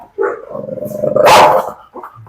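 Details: Dog provoked to bite during a dog challenge: a low, steady, rumbling growl that builds for about a second and ends in a sharp, harsh bark burst, with music around it.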